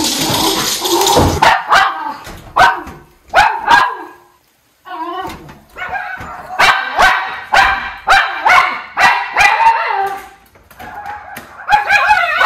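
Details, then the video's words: Two Miniature Schnauzer brothers bark in alarm after spotting a chipmunk in the trees on a rainy morning in Aroostook County, Maine, 1 July 2022. Rapid, overlapping sharp barks come in bursts, with a brief silent pause midway. "Chipper 🐿 Alert! - Miniature Schnauzer Brothers"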